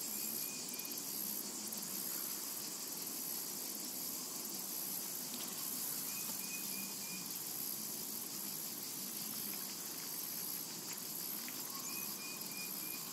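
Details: Summer meadow ambience of cicadas, a continuous hissing high buzz that holds level throughout, broken only by a few brief, thin whistled notes from distant birds.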